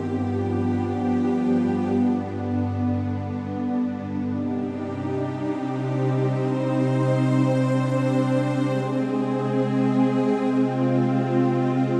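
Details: Continuous slow, sad new-age music with sustained tones, and no animal voices audible.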